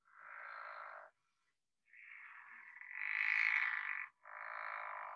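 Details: A pickerel frog, an early-spring emerger, gives long, rasping snores, each burst lasting about a second with gaps between; its snores are longer than the leopard frog's shorter snoring bursts.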